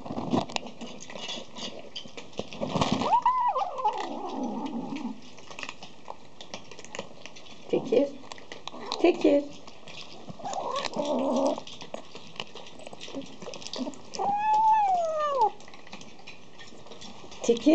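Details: Tabby cat meowing around food time indoors, giving two drawn-out meows that rise then fall, one early and one late, with human speech and household clatter between them.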